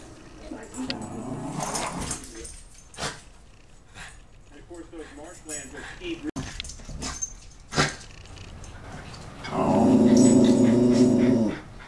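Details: A Cairn Terrier watching passers-by from his territory while shaking a toy gives a few sharp barks, then a drawn-out, harsh growling bark, guarding, with someone speaking to him.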